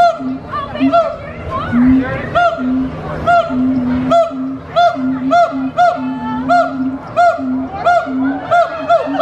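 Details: Gibbons at Disney's Animal Kingdom give a loud, steady series of hooting notes, each a short rising-falling hoo, about twice a second, singing energetically.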